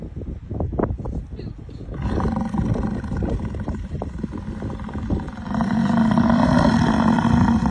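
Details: American bison in Yellowstone National Park giving a deep, rough roaring bellow that swells after a few low grunts and snorts, then holds as a long rumbling drone with a steady low tone.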